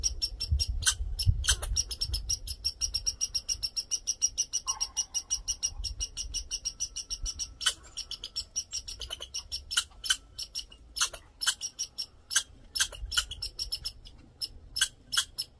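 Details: A male red squirrel raising a fuss and demanding attention: rapid sharp broadband chucks and clicks, often in quick bursts, continuing throughout with brief pauses, over a low background rumble.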